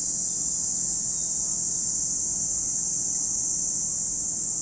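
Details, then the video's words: Cicadas singing at Lake Kamo, Sado City, Niigata Prefecture, Japan: one even, very high shrill band of sound, constant from start to finish, with quiet low-frequency background noise. "Lake Kamo in Sado City, Niigata Prefecture, Japan, where you can hear the voice of cicadas."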